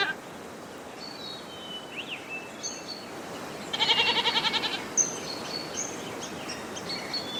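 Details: A single quavering goat bleat lasting under a second sits midway, its pulsing tremble standing out over scattered high whistles and chirps of birds and a constant hiss of outdoor ambience.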